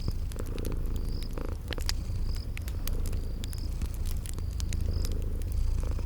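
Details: A soft, even purr from sleeping kitties carries steadily throughout, mixed with bright popping crackles of a fireplace and short, evenly spaced high insect chirps of a spring garden.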